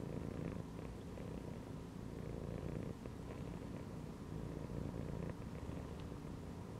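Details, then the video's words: Resting cat settled inside a gym belt purrs in a long, unbroken low rumble, steady pulsing vibration from start to finish, quiet and close. "CAT CHILLING PURRING AND MEOWING INSIDE THE GYM BELT"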